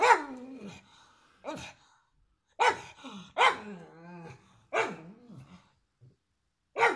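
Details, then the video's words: Pug giving a run of hoarse, whining barks, about six over seven seconds, some trailing into a wavering growly moan, with short gaps between; indoors and otherwise quiet. "Pug Bark"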